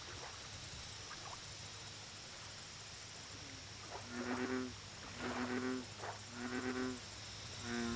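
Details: American bullfrog at a lake: after about four seconds of quiet background, four deep, resonant, harmonic croaks come at steady intervals, each about half a second long, over a constant high insect trill.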